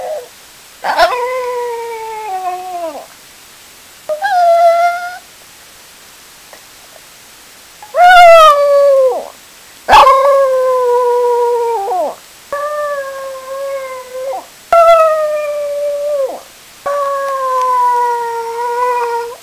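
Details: Pet dog howling after being left at home while its owner is at the store: a series of drawn-out tonal howls, each lasting one to two seconds and sliding downward at the end, repeated after short silent gaps.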